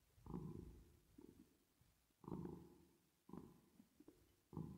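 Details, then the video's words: Domestic cat purring while resting and sleeping, with added reverb: low rumbling bursts with a faint higher hum, arriving at uneven gaps of one to two seconds, each swelling then fading away. "Cat Purring Sound With Reverb Effect"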